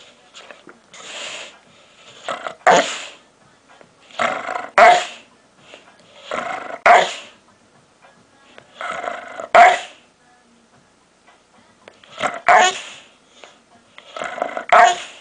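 A dog makes odd groaning, grumbling vocalizations in bursts, each ending in a sharper bark-like yelp.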